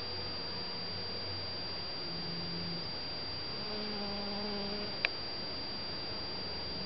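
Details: Honey bees pollinating white and yellow Shasta daisy flowers in a garden in spring or summer; a low droning buzz swells briefly midway through, over constant hiss, a steady high electronic whine and one sharp click.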